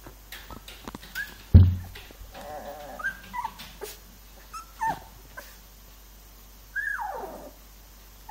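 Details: Three-week-old Labrador Retriever puppies giving a few thin, high whimpering squeals that slide downward, spaced irregularly, with soft rustling and handling thumps between them.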